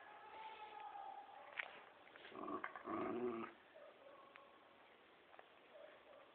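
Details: Poodle and Dobermann in a tug-of-war game, one dog giving a short rumbling growl lasting about a second in the middle, with scuffling and faint clicks before and after.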